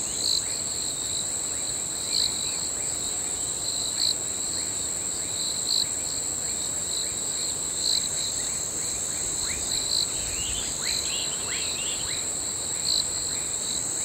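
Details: Crickets at night. A dense, steady, high-pitched shrill drones on, with brighter pulses about every two seconds. Faint, quick downward-sweeping ticks are scattered throughout.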